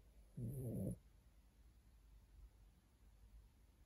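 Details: A poodle snores once, giving a single brief, deep, grating snort of about half a second, followed by near silence.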